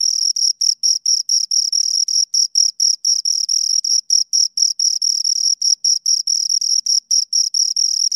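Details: Two crickets stridulating near the microphone, producing a bright high-pitched pulsing trill with regular short gaps, loud and steady throughout.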